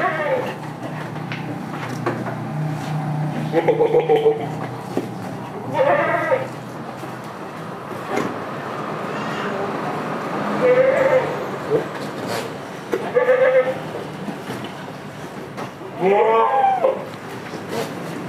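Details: Village farm goats of the Damascus and Jamunapari breeds bleat again and again: short, quavering, nasal cries spaced a few seconds apart, some higher and strained, over steady human chatter and a faint vehicle hum.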